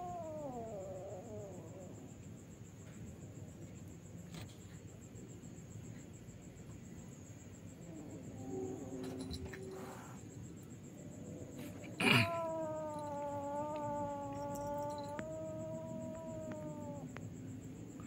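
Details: Village kittens squabbling on roof tiles after dark, wavering yowls at first, a low rumbling growl midway, a sharp thump, then a drawn-out even-pitched wail lasting about four seconds.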